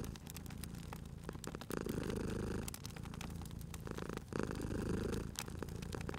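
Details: Steady purring from a cat at a fireplace, deep rumbling pulses grouped into alternating inhale and exhale stretches, overlaid by bright crackles and snaps of burning wood.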